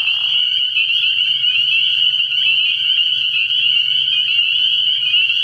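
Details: Spring peepers in a dense nighttime chorus at a frog pond early in the year, many high piping peeps merging into a steady shrill ringing band, with a brief lower rasping burst at the start and a faint low hum beneath.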